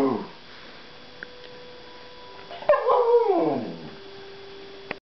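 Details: Bernese Mountain Dog singing during a sing-off; a short falling yelp at the start, a quiet gap, then one wavering howl sliding down in pitch over about a second.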